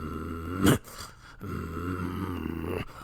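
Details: Puppy growling: a low, steady rumbling growl with a layered, buzzy tone, broken near the start by one short, sharp louder burst, then continuing evenly to the end.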